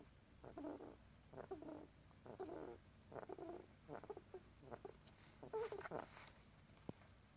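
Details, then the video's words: Pet rat fast asleep and snoring: soft, breathy, rhythmic bursts repeating roughly once every second, each a short rasping exhale, recorded quietly indoors with faint background hiss. "Pet rats snoring."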